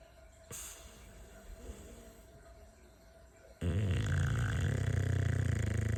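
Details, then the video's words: Bulldog snoring: quiet low noise at first, then a loud, steady, deep rattling rumble that pulses about four times a second through the second half. "Is this a bulldog or a pig"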